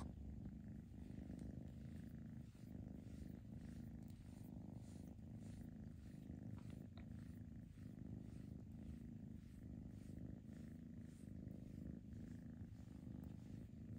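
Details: Rescued foster kittens purr in a long unbroken rumble, a rhythmic low vibration pulsing evenly throughout, with faint light taps and fabric rustle.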